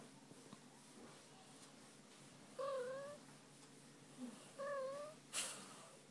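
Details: Pet cat, female, voicing soft rising meows as her tummy is rubbed: two brief tonal calls about two seconds apart, then a sharp click in a quiet room.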